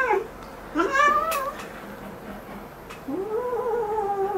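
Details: Indoor pet cat complaining during claw clipping: a short wavering meow, a quiet gap, then a longer meow that rises and sinks gently, with faint handling noises.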